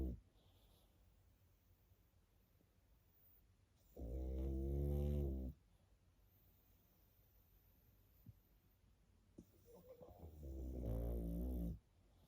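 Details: Baby pug dozing with loud, low snoring: two rough, rattling snores roughly six seconds apart, the second swelling gradually, with near silence and faint breathing between.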